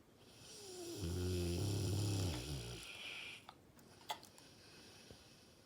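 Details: Sleeping Dogue de Bordeaux Stanley, an older dog with dilated cardiomyopathy, gives one long, deep, buzzing snore that fades into soft breath, followed by a few small clicks and rustles.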